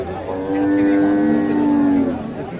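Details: Friesian cow with her calf at Khochabari livestock market, Sadar, Thakurgaon, on 19 December: one long, steady, level moo of about a second and a half, rich in harmonics, over faint market murmur.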